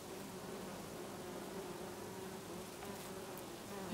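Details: Many bees working lavender blossoms in a Brittany garden in August; a continuous buzzing drone, level and unbroken throughout, with a few faint brief ticks near the end.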